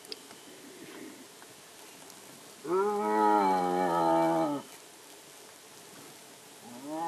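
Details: Indian striped hyena, called lakadbaggha: one long, rich, harmonic moan of about two seconds that rises slightly and then holds steady. A second call begins just as the recording ends.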